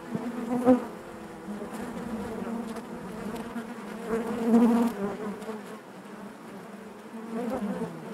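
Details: Dense buzzing of honey bees within the hive, a continuous multi-toned hum that surges louder around the middle and again near the end before settling back.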